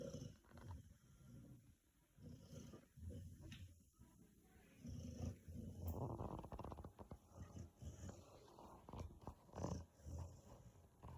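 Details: A 5-month-old Rottweiler puppy snores in low, rumbling pulses that rise and fall with each breath.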